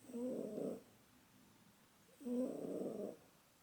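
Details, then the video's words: Two drawn-out, raspy snores from Pukis, a sleeping male house cat, each lasting nearly a second, separated by a quiet pause. "Snoring Cat"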